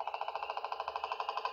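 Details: A leopard frog, one of a bucket found in Minnesota, gives a fast, rattling snore, about fifteen dry pulses a second in an even run that sounds almost like a woodpecker drumming.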